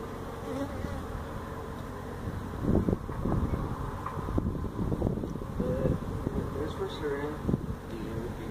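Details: Feral honey bee colony that built its hive inside a tractor tire, in a stack of tires at a citrus orchard in Mission, Texas, during hive removal: dense low buzzing with crackling handling noise and thumps throughout.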